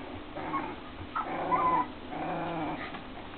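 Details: Keeshond puppies aged four weeks: a drawn-out harmonic whine that rises and falls in the middle, surrounded by softer whimpers, over a steady low hum.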